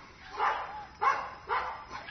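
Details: Mixed-breed puppy barking: four short yelping barks, each rising then falling, spaced about half a second apart, with no other clear sounds.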